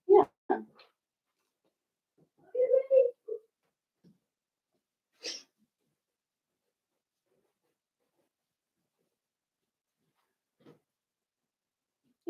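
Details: Blenheim Cavalier King Charles Spaniel puppies, a litter of five born at New Year's, in an indoor puppy pen. Scattered short squeaks and whimpers, with a cluster of nasal yelps near the middle and long quiet gaps between.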